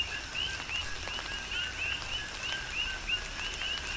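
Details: Coqui frogs calling in tropical rain on Hawaii's Big Island, many frogs overlapping with rapid, regular two-part 'co-qui' notes, each ending in a bright rising whistle, over constant rain hiss and scattered raindrop taps.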